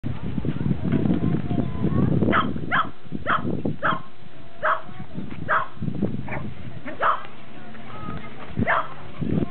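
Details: Cairn Terrier barking in a recording dated 29 October 2006, with a Welsh Corgi also present: about nine short, sharp barks from the second second onward, spaced roughly half a second to a second apart, over a steady murmur of human speech.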